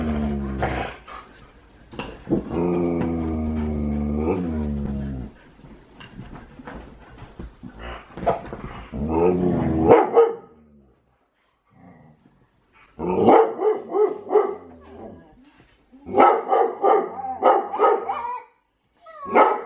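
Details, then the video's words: Huskies wrestling together in play, not really fighting: a long humming tone at the start, then bursts of grumbling growls and yips separated by silences, with faint music in places. "Husky wrestling!"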